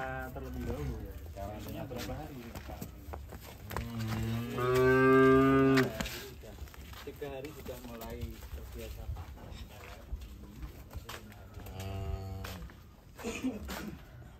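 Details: Amid rattling and banging as it is unloaded from a truck, a cow bellows one strong, steady moo of about two seconds, with fainter lowing calls before and after.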